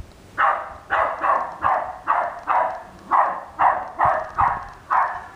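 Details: West Highland White Terrier barking at an R2 robot: a steady run of about eleven short, sharp barks in five seconds, each evenly spaced, with a faint low background hum.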